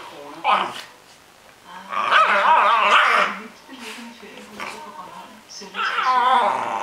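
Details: A Cairn Terrier having fun gives rough, wavering growls and short barks in bursts, with a person speaking nearby.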